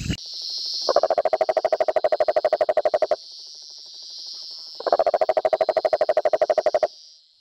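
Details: A male rococo toad gives long, rapid pulsed trills, each a low buzzing rattle of about two seconds; the call is territorial toward rival males and attracts breeding females, audible over 2 km away.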